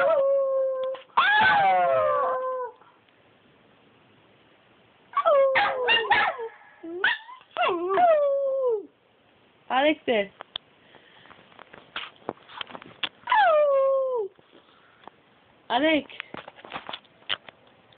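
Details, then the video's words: Two dogs, Bobby and Angel, howling together in long harmonic wails that slide downward, in bursts of one to two seconds separated by short pauses, with a few shorter yelping notes mixed in. "Bobby and Angel howling"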